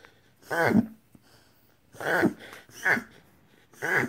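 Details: Jasper, a Whippet, reverse sneezing, as later confirmed by a veterinarian: four harsh, snorting bursts with breathy overtones, each about half a second long and spaced roughly a second apart, with quiet gaps between them.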